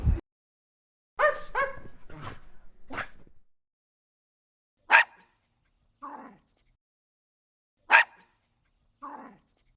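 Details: Domestic dog barking: a burst of harmonic barks in the first few seconds, then single short barks spaced about three seconds apart, each followed by a lower, softer yelp; quiet between.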